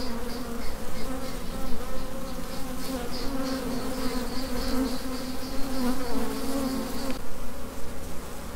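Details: Honey bee workers of a swarm buzzing together, a deep steady droning hum with a pulsing higher whine that stops abruptly near the end.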